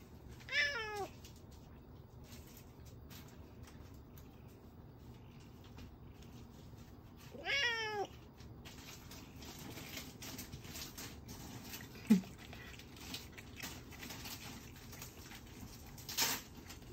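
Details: A Siamese cat in the kitchen, watching while the kitchen is tidied, gives two drawn-out, falling meows several seconds apart, asking for food.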